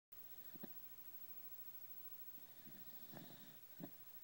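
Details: Tucker, a 14-year-old Jack Russell Terrier, asleep indoors: faint snuffling snores in a few short bursts over quiet room hum, the strongest near the end.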